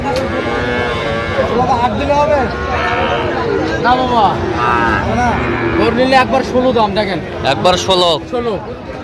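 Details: Sahiwal breed bull calves at a crowded Tangail market in Bangladesh, 18 December. A run of repeated arching moos rises and falls every second or so, mixed with shouting buyers, crowd babble and passing vehicles.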